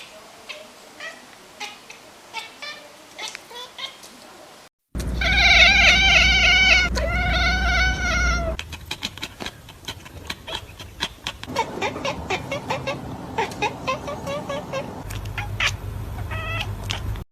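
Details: A domestic cat chatters in quick, clipped bursts, excited at spotting prey such as birds or rodents or frustrated by things outside the window it cannot catch; the call is said to mimic prey, like chirping or squeaking.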